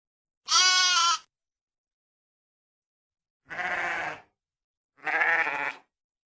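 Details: Sheep bleating in three separate bursts: a bright, high nasal bleat first, then two lower, rougher bleats after a long pause, each under a second long against silence.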